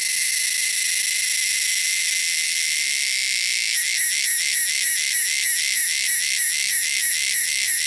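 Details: Wild cicadas produce a steady shrill, high buzz that, after about four seconds, turns into a pulsing rhythm of roughly three beats per second.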